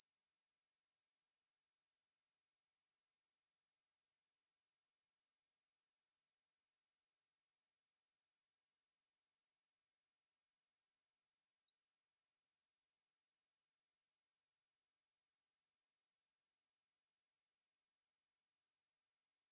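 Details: A steady, shrill insect buzz from aemaeburi, a Korean conehead katydid, recorded in 2020 by the National Institute of Biological Resources. It runs without a break, an even metallic hiss, with nothing else heard.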